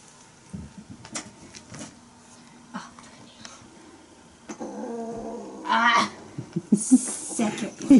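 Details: Bengal kittens, the young of Aurora and Coco, romping together indoors with some teaser play; a harmonic, drawn-out meow rises near the middle, preceded by soft scattered thumps and followed by sharper short cries while a person talks nearby.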